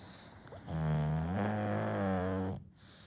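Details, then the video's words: Goemon, a sleeping one-year-old pug, makes one low, droning, humming snore lasting almost two seconds. The pitch rises slightly partway through. "イビキをかきながら二度寝する｜ブサかわいいゴエモン Goemon the Pug Snoring & Sleeping Again"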